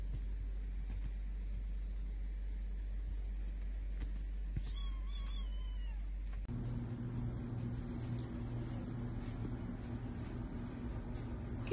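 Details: Grey Korat kitten, a blue-grey short-haired domestic cat breed, meowing indoors: a quick run of four or five short, high, bending meows midway, over a steady low hum that later shifts to a different drone.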